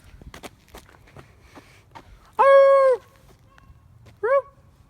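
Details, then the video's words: Dogs 'talking' to a familiar person: one long, steady, harmonic whine-howl about half a second long, then a short rising yelp, over quiet rural background with faint rustling and footsteps. "Dogs love me they are talking to me"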